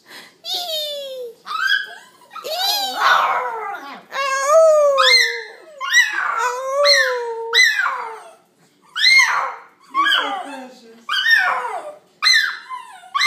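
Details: Puppy named Gizmo howling indoors in a small room: long wavering tonal howls that glide up and then fall, in bursts of about a second each, with a woman's excited voice between them.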